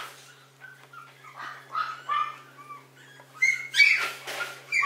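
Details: Warm-sunlight Maltese producing soft, high squeaks that build into louder, sharper yelps toward the end, delivered rapidly and irregularly over a low steady hum.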